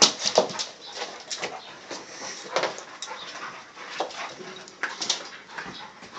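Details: Two dogs at play: Riley, a 3-year-old Staffy cross Mastiff, and Marley, a nearly 6-month-old Staffy cross Siberian Husky. Short, irregular bursts of whimpers and yips with scuffling noise, sharpest near the start and around the middle.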